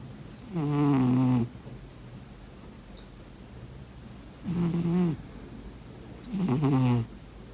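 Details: Sleeping cat snoring: three loud, rough nasal snores, each roughly a second long with a buzzy, slightly falling tone, spaced two to three seconds apart in a quiet room.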